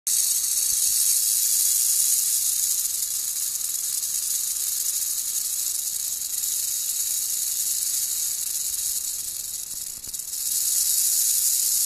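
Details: Captive female black-tailed rattlesnake, Crotalus molossus molossus, kept alone in a box for feeding, rattling loudly: a steady, high-pitched hissing buzz that carries on without a break, dipping briefly near the end.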